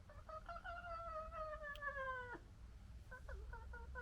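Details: Red fox family members squabbling: one long harmonic wail holding steady then sliding slightly down for over two seconds, followed by a burst of short choppy cries, low background rumble throughout.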